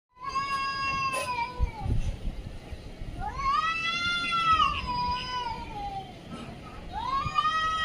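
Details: Domestic cat meowing: three long drawn-out meows, each rising then falling, with a clear harmonic tone, spaced over about eight seconds, with faint background noise.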